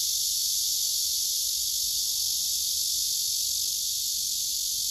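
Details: Singing male cicada on a tree, with several other cicadas clustered close by, recorded on a phone: a continuous shrill electric buzz, constant in pitch and volume, with no pauses.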